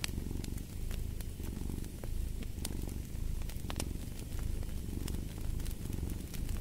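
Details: Close, loud purr of a domestic cat, a deep vibrating rumble pulsing with each inhale and exhale about every second, with scattered sharp crackles from a fireplace.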